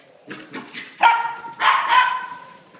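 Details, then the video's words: Puppies at play let out a few soft yips, then two drawn-out, tonal whining barks that hold steady before fading, all close and clear. "Crazy puppies playing"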